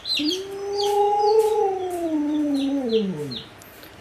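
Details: Begging for watermelon, the pet Alaskan Malamute Luoluo gives a smooth howl that rises, holds and then slowly falls away, with faint high bird-like chirps behind it.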